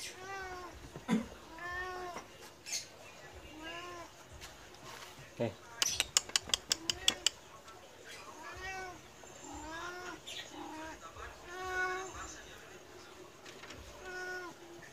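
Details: Indoor medium Persian cat begging for food although just fed, acting almost angry. It gives a steady series of short, rising-falling meows, roughly one every second or two, with a burst of sharp clicks midway and a person talking quietly.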